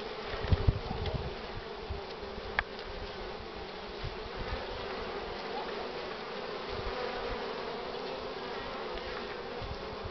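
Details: Pollen-laden honey bees thronging the hive entrance at 9:45 on 24 March 2019, sunny yet cool; early low knocks and bumps, then a steady even hum of many bees.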